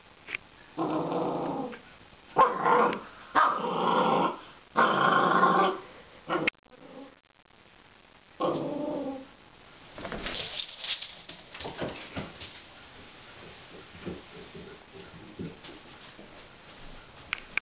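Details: A puppy growls while playing with a broom: several rough, sustained growls in bursts of about a second each over the first seven seconds, another near eight seconds, then quieter scuffling and rustling.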